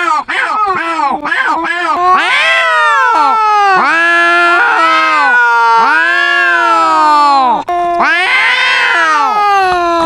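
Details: Two domestic cats in a noisy argument, one with a very loud voice: a quick run of short meows, then long, wavering caterwauls that overlap and answer each other almost without pause.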